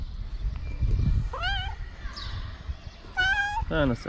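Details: Hungry stray cats in Morocco begging for food: two loud, drawn-out meows, each rising then falling, about a second apart after a man's voice speaking Arabic, with low rustling underneath.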